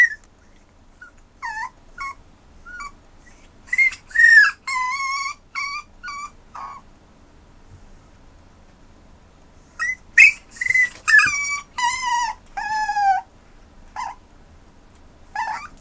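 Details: Westiepoo puppy indoors, July 2015; series of short high whimpers and yelps with quiet gaps, several drawn-out wavering whines, some bursts clustered around the middle and end.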